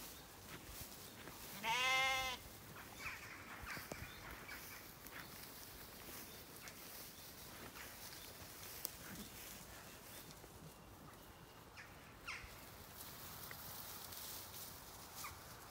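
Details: Evening on a regenerative Zwartbles farm in County Kilkenny, Ireland, among lambs and hoggets: one short, wavering, quavering bleat early on, then a long stretch of quiet outdoor ambience with occasional faint bird calls.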